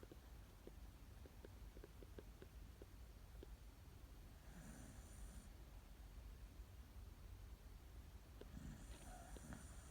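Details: Sleeping dog snoring softly: two low, breathy rasping snores about four seconds apart, each with a faint hiss, over a quiet room with scattered small ticks.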